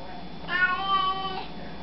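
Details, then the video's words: House cat greeting with one smooth, sustained meow under a second long, rich in overtones, over a steady low room hum. "Funny Cats Saying Hello"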